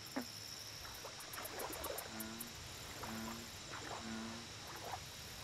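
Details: American bullfrog at a lake: three deep, resonant, harmonic croaks about a second apart. Earlier broadband clicks and splashes, high pulsing insect-like trills, and a steady background hiss with low hum.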